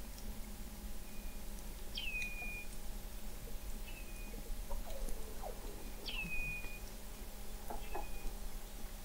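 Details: Weddell seals beneath sea ice in McMurdo Sound, Antarctica, recorded November 2017 at an undersea observatory: brief high chirps that drop sharply, then flatten, repeated every two seconds or so, with faint lower sweeps in between.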